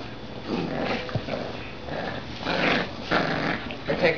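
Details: Puppies, two Dachshunds and a Golden Retriever, wrestling over a glove, with low rough growls swelling in bursts of about half a second, mixed with scuffling and soft whimpers.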